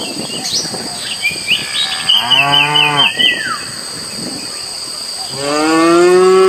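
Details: Feral cattle in a herd on prairie at the forest edge give two drawn-out, low moos, the second rising and swelling, over a steady high insect drone with bird chirps early on.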